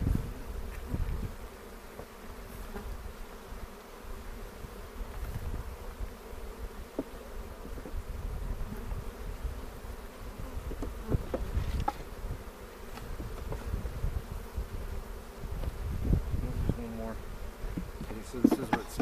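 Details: Honey bee hive in the Cochrane foothills, opened on April 27, 2018 to check for queen cells and make a split. A continuous low droning hum fills the clip, with frequent bumps and scrapes from hive equipment.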